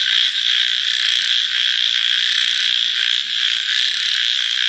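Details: Night-time frog chorus, loud and dense, a steady high ringing trill of countless voices with faint rhythmic pulses beneath and two brief dips in volume.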